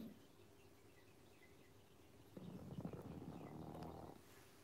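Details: Pangpang the Pug, sleepy after a long day and wearing a red sweater on a chilly night, snoring on his favourite beanbag: one soft, low, raspy breath-snore of nearly two seconds midway, otherwise near silence.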